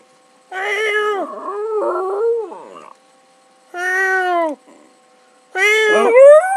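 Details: Domestic dog howling in response to its owner's meowing, giving drawn-out tonal howls that dip and rise, three bursts separated by short silences, one ending in a rising squeal.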